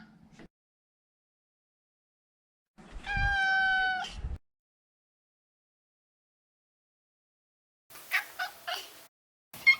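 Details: Domestic Maine Coon, a neutered male, utters one loud, even meow lasting over a second, followed after a pause by a quick series of short chirping sounds.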